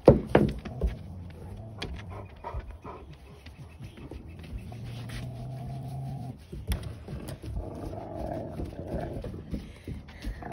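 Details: German Rottweiler pups indoors: a low, drawn-out groaning tone slides into a higher, wavering whine, mixed with snuffling and panting bursts and faint household clatter.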